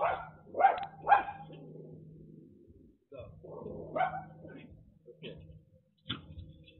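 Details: A little dog in the United States, told by a delivery driver to wait, gives a few sharp barks mixed with a man's talking voice and a low steady hum.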